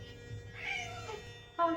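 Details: Female Norwegian Forest Cat, a large house cat born in 2022 that rarely meows and more often hisses: a soft, slightly wavering meow of about half a second indoors, followed by a woman speaking.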